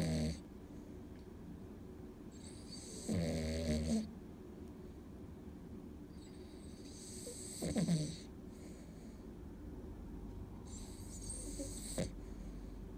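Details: Cavalier King Charles Spaniel named An, sound asleep on a weekday, snoring in slow hissing breaths roughly every four seconds, each with a breathy high wheeze over a low rumble, with quiet gaps between.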